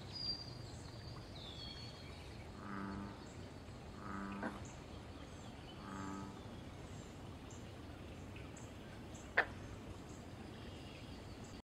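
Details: American bullfrog in the wild at a pond, calling for mating and territory: three deep, harmonic, moaning croaks about a second and a half apart, with faint high bird chirps and a sharp click near the end.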